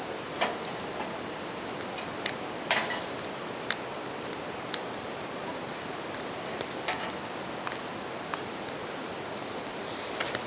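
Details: Bell crickets in a natural setting beside a river and campfire give a constant high ringing drone, while loud intermittent crackles and snaps from the fire and the steady wash of the river fill the background.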